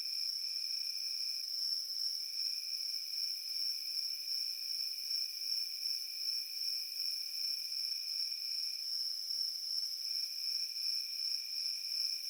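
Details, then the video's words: Crickets chirping in a field: a steady, high, shimmering trill with a fine rapid pulse, and a second, lower, sustained tone that breaks off and resumes, over a quiet background. "Crickets in the field making Peaceful Sounds"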